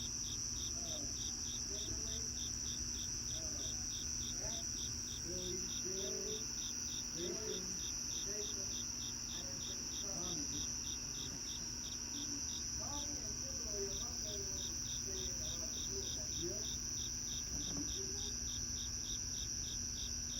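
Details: Crickets at night under cloudy skies, keeping up fast, evenly repeated chirps on top of a constant high trill for twenty seconds, while scattered faint lower calls and clicks come and go in the background.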